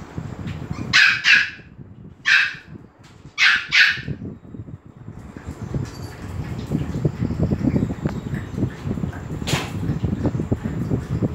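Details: Dogs at Phuket Dog Resort, excited as Pomeranian Fendi comes in: three sharp, loud barks within the first four seconds, then a low rumbling background with faint yips and a brief click near the end.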